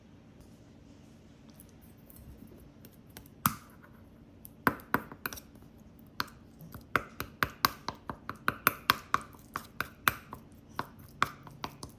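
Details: Sharp glassy clinks and scratching taps in a small room, growing more frequent after a quiet start, with no animal sound.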